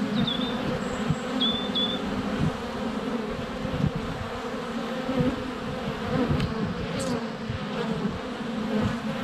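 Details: Constant wing hum of honey bees flying around a hive entrance on a sunny February day, GoPro Hero 7 Black at close range; thick buzzing throughout, with brief high whistled birdsong notes early and a faint chirp near seven seconds.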